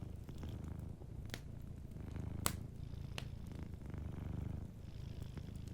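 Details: Gentle purring from a sleeping cat near a crackling hearth; deep, even rumbles rise and fall in cycles of about a second, with occasional loud pops from the fire.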